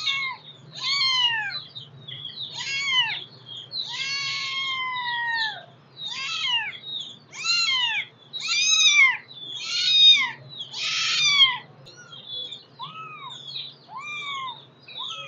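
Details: Kittens crying out in a steady stream of high-pitched meows, roughly a dozen arched calls rising and dropping in pitch, several overlapping as if more than one kitten calls, with a low hum beneath.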